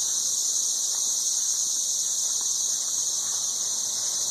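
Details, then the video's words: Dense chorus of 13-year periodical cicadas high in trees in Nashville, Tennessee, mating: an unbroken, shrill, hissing drone that holds a constant loud level throughout. "Ridiculously loud 13-year cicadas"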